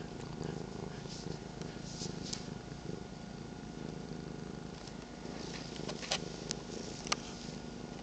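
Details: Morning purring from house cats, one aged 13 years, one 8 months, another sitting on a lap; a continuous throbbing low drone with occasional small taps and rustles.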